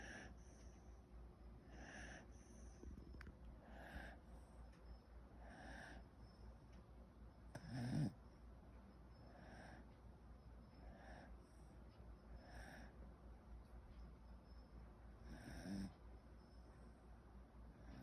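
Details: Mixed-breed dog asleep, its snore sounding human-like: soft, wheezy breaths repeated about every two seconds, with a louder snort near the middle and another toward the end.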